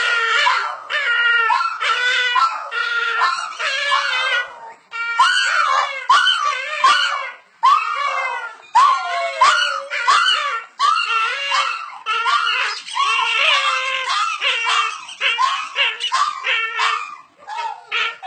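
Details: Two Boston Terriers "sing" a duet, howling together in wavering, overlapping yowls and yips broken by brief pauses.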